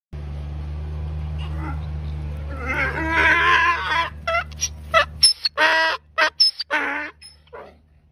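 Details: A donkey brays, harsh honking tones alternating with short wheezing gasps over a low engine hum.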